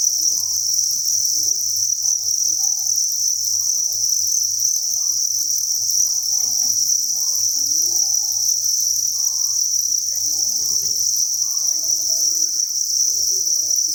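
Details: On a cricket farm, a breeding facility holding thousands of crickets resounds with a nonstop shrill chorus. The steady high buzzing shimmer carries on for about fourteen seconds, with faint scattered rustles beneath it.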